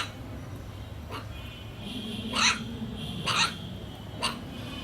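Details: A playing puppy gives short, high, squeaky yelps about a second apart over a low indoor hum.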